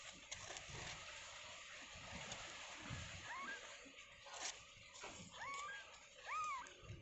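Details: Newborn kittens moments after birth in their pen give a few thin, rising-and-falling mews near the end, set against steady sloshing, splashing background noise.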